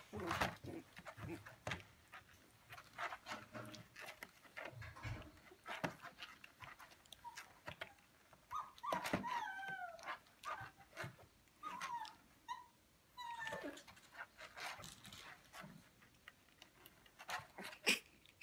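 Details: Shiba Inu puppies, 19 days old, males playing together indoors: short high whines and squeaky rising-falling yelps scattered among soft scuffles and panting, with clicks of movement between calls.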